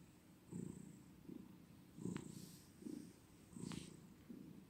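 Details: Purring cat, a deep vibrating rumble rising and fading in rhythmic bursts roughly every second, with a couple of sharp brief clicks and a soft constant background hiss.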